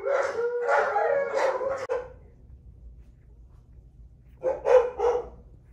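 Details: Week-old Alaskan Malamute puppies, female, nursing from their mother Sojou, make whiny, harmonic squeals. A two-second run of overlapping cries comes first, then a quiet gap and a shorter, louder burst of whimpering.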